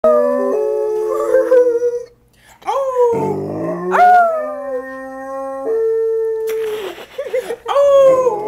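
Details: Domestic dog howling along with a fire siren after months of practice; long wavering tones that slide up and down, several overlapping pitches, brief pauses between howls.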